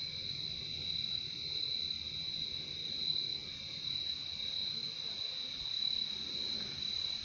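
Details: A steady chorus of crickets, heard as a relaxing sound of nature, rings as a constant shrill trill with a second, quieter trill lower down and faint background murmur.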